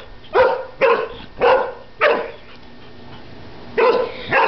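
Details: Airedale Terrier on his first birthday barking at bubbles; four loud, sharp barks in quick succession, a pause of nearly two seconds, then two more barks.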